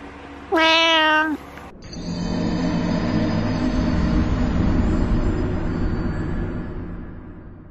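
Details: A pet cat, known from the Dark Souls "You Died" meme, gives one loud, drawn-out harmonic meow lasting under a second, followed by a swelling low rumble of music and noise.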